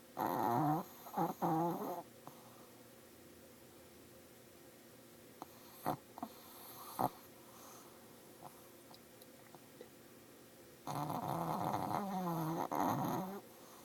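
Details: Olive, a Shih Tzu with sinus issues, snoring: two loud, rasping bursts with wavering tones, one at the start and one near the end, separated by a quiet stretch with a few soft snorts.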